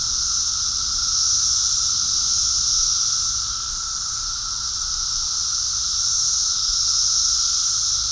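A dense cicada chorus: a steady, high, hissing drone that swells and fades slightly.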